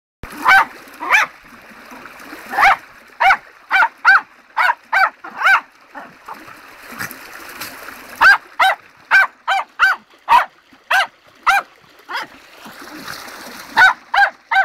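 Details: Tottie the dog by a river in full flow with lots of bubbles, barking in short, sharp, high yaps, around twenty of them in quick bursts with brief pauses, over a steady rush of water.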